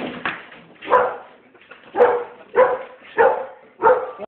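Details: Pit bull scared of balloons giving a series of six sharp barks, roughly every half second to second, with some background noise between them.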